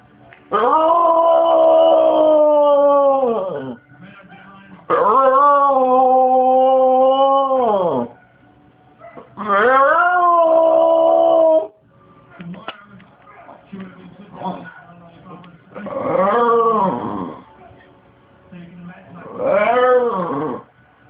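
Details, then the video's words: Pet bulldog Cue cries for monkeys in a small room, giving a series of sustained, wavering howls of two to three seconds, the later ones shorter and bending in pitch, with a person's voice heard in the pauses. "Cue the bulldog CRIES for monkeys"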